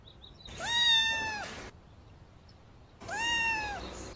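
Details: Fluffy silver-grey domestic cat with big blue eyes meowing for attention: two drawn-out, clear harmonic meows about two seconds apart, each rising then holding level and dipping at the end, in a quiet room.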